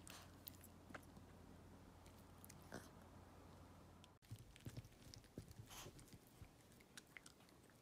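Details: Walt the dog chomping on treats: sharp bites and crunchy snaps come in irregular bursts, denser in the second half after a brief dropout, over a quiet low background hum.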